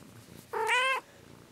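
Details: Pet cat that gets annoyed when its massage stops lets out one loud, half-second meow, a bright, steady harmonic tone with a sharp onset and an abrupt end.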